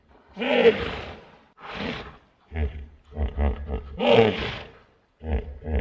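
A hippopotamus gives deep, roaring honks followed by a run of short, rhythmic grunting pulses.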